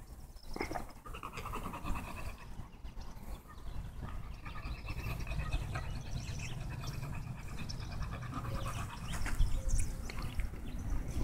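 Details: American Bully named Tugboat panting while out on a walk: rapid, breathy huffs at about four per second, steady throughout, over low outdoor rumble and faint rustling.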